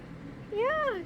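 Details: Ruby, a young calico cat rescued from a corn field, gives one short meow during her morning routine: a single clear cry rising and then falling in pitch, under half a second long, over low background hum.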